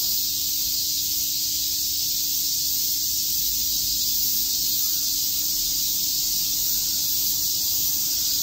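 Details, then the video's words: Chirping cicadas fill a summer day in Tokyo's Shakujii Park with a relentless high buzzing hiss that holds level from start to finish, with a faint low hum beneath. "Cicada chirps"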